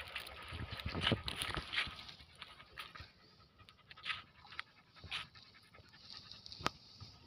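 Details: Greyhound kept with cross-breed dogs in a village, panting in fast breathy bursts, around three per second, with uneven rhythm and a few louder huffs, over faint background rustling.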